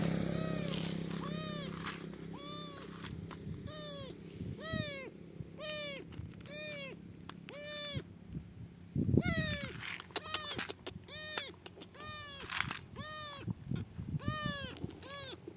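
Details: Highway-stranded kitten after rescue by a biker, meowing insistently: about twenty clear, bright meows with rich overtones, repeated roughly every half to one second, each dipping then rising. Faint low rumble and handling noises underneath.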